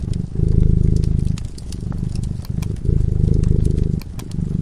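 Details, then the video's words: Sleeping cat by a crackling fireplace, purring steadily in low, throbbing bursts that swell and fade with each breath, roughly one cycle a second, with sharp pops and crackles from the fire throughout. "Purring cat"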